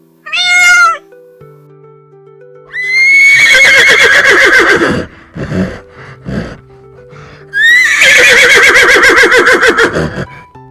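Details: Baby horse whinnying: a brief high note, then two long shaky whinnies that start high and slide down through quick trembling pulses, separated by short snorty bursts, over a steady background music track.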